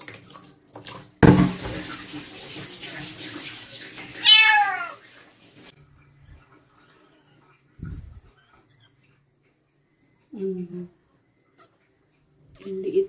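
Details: Female stray kitten from construction workers, getting her first bath at night: a splash of running water, then a single drawn-out meow rising and falling, followed by quiet with a few brief low sounds.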